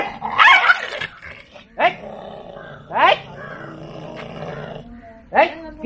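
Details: An aggressive one-year-old Lhasa Apso, rescued after many days caged and with a history of unprovoked biting, growls steadily at its owner and breaks into sharp, snarling snaps every second or two.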